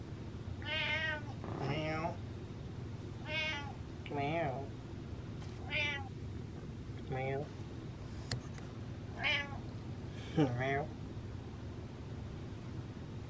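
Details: Indoor domestic cat seeking affection while leading its owner toward its food: roughly nine short, wavering meows about one to two seconds apart, some rising then falling, with quiet room noise and occasional speech.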